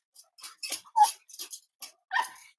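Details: Cavalier King Charles Spaniels kept indoors during the last week of 2023 let out a quick string of short, sharp yips and whimpers, about nine brief bursts in under three seconds, one with a clearer tonal whine.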